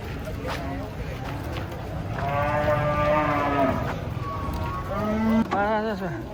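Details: Cattle with unusual colouring come down from a truck, letting out a long bellowing moo that swells, then a shorter, sharply falling call at the end, over crowd and engine noise.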